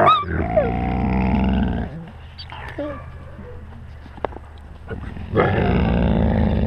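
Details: Wolves with the pack, filmed on a GoPro at wolf height; opening burst of harsh growls and sliding whines, a quieter stretch with a low steady rumble and a few short squeaks, then loud rough growling returns.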